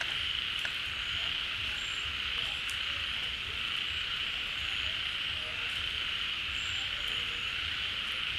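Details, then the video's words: Rainy-season pond where many frogs gather and call together once water returns. Continuous shrill, droning chorus with a few brief whistle-like notes and scattered clicks over it. "เสียงฝูงกบร้อง Relaxing Sounds of Frogs, カエルの音, 青蛙的聲音"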